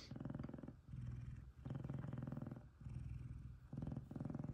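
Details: Kumba, a male F2 Savannah cat, purring loudly while cuddling with fellow Savannah Taj: a strong, deep vibrating purr in long inhale and exhale phases of about a second each, with short breaks between.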